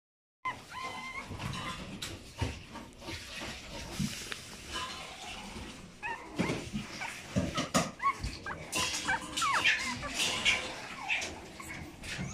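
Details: Chihuahua puppy born October 10, 2019, awaiting a new owner: scattered short, high squeaky whines and whimpers among frequent clicks, knocks and shuffling noises.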